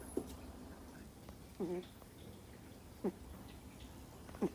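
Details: Sleeping two-month-old Miniature Schnauzer puppy snoring: sharp little squeaky snores about every one and a half seconds, one drawn out into a longer nasal whine, in a quiet setting.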